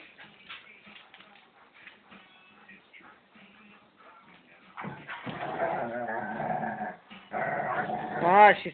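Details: Two pet German Shepherds playing as the female shows the younger male who's boss; after a stretch of a person talking over faint music, tonal whining and yelping wails rise and waver, with speech continuing between them.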